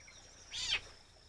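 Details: A fishing cat kitten on a muddy shore at low tide, watching a fiddler crab leave its burrow, gives a single short, high mew that rises and then falls away.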